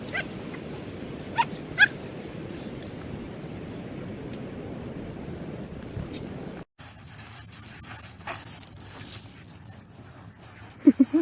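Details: A Siberian Husky puppy digging at the beach gives a few short, squeaky yips and whines over steady wind and surf noise.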